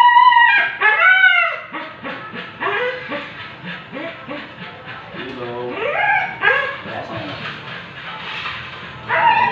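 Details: Siberian Husky at an artificial insemination stud session, giving a rapid run of short yips and whimpers, several per second, with arched, wavering whines between them.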